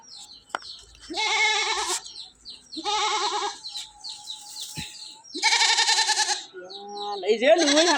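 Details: Domestic goats in Bangladesh, a nanny that has just given birth to two kids: several wavering, vibrato bleats about a second apart, ending in a higher, thinner bleat, with brief human voices nearby.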